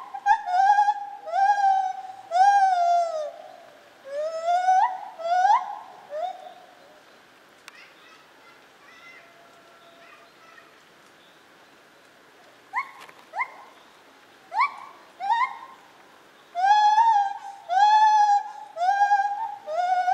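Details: White-handed gibbon, Zoo Opole, 2015. Bursts of loud swooping hoots and drawn-out wails, then a quieter stretch with scattered short notes, before a final loud series of rising hoots resumes.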